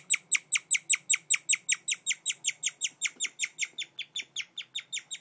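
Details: Guinea pig giving its chirp: sharp, high, bird-like notes slurring downward, repeated evenly about twice a second with quiet gaps between them.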